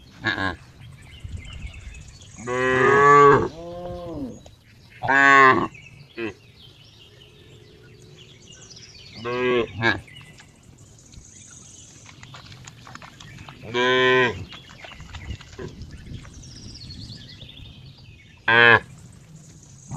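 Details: Cow mooing in a series of short harmonic calls, some doubled, spaced irregularly over twenty seconds with quiet background noise between.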